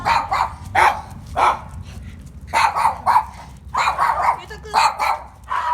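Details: Numerous Mame Shiba puppies at a breeding place in Kumamoto, Japan, yap repeatedly in bright, high barks, some single and some in quick pairs, roughly every half second, over faint low background noise.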